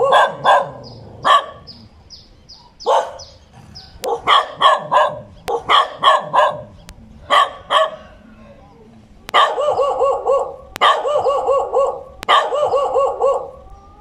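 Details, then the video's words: Dog barking in irregular volleys, first loose and sharp, then steadier bursts of rapid, tonal barks near the end, with faint high chirps early on. "เสียงหมาเห่า ถ่ายหมาเห่า"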